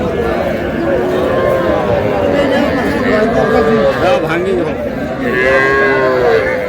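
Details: Young bulls and heifer calves bought by a Comilla farmer on 12 May call repeatedly, overlapping bending moos from several animals, against dense chatter of buyers and sellers.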